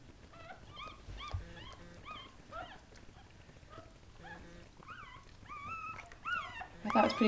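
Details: Newborn Goldendoodle puppies, part of a litter of seven born to the mother dog Sandy at a breeder's home, squeal in a run of high, thin, rising-falling whimpers several times a second, louder toward the end, with faint background noise.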